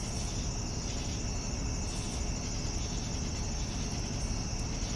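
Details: Evening crickets keep up a steady, unbroken high-pitched trill, with a softer pulsing layer below it, over a constant low rumble.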